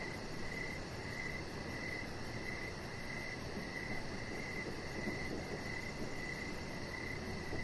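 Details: Crickets chirping in the evening beside a deck with decoration lights where a chihuahua puppy lies; a steady pulsed mid-pitched trill repeats evenly throughout, with a fainter rapid high ticking series above and a constant low background hum.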